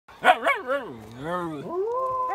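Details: Siberian Husky puppy, said to have something to say, giving a talkative vocalisation: two short sharp yips, then a long wavering howl-like 'talking' call that dips and rises in pitch before ending on a steadier held tone.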